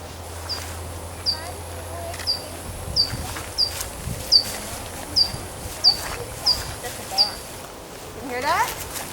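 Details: Little brown bat (Myotis lucifugus) calls from a bat monitoring station at Schmeeckle: short, high, downward-sweeping chirps repeated a little under once a second; scientists think roosting bats may be arguing.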